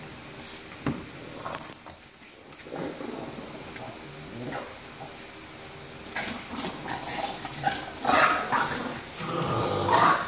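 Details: Boston Terrier; growl; tussling over a toy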